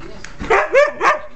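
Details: Pet Siberian Husky jumping around on a bed; two or three quick high whining yelps with rising, bending pitch in under a second and a half, recorded indoors close up.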